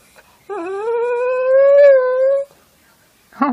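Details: Puppy crying after being asked to do something it dislikes, such as having spray put in its mouth: a single drawn-out tonal whine lasting about two seconds, rising slightly then holding steady, followed by a short sharper cry.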